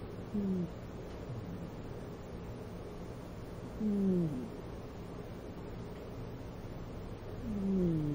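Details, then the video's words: Pet cat Audrey asleep, snoring through a nose left blocked since a bad cold she had when taken in. Three short, low, nasal whistling tones slide downward, one roughly every three and a half seconds, over quiet background hiss. "おっさんじゃありません、猫のいびきです ~Snoring of the cat~"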